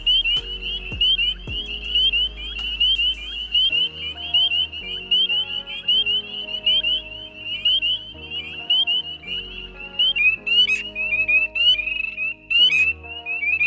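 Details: A chorus of spring peepers in a Pennsylvania wetland during the spring breeding season gives high, piercing, sharply upslurred peeps about once a second as their advertisement call.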